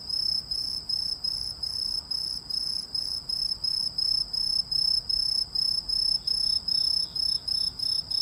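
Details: Unidentified singing insect, possibly a cricket or grasshopper, giving a rapid run of high, thin, ringing chirps, roughly twenty short pulses in eight seconds at a brisk even pace, with a quiet low hiss beneath.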